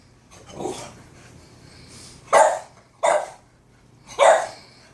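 A Boston Terrier gives a few odd, hoarse barks, spaced irregularly about a second apart.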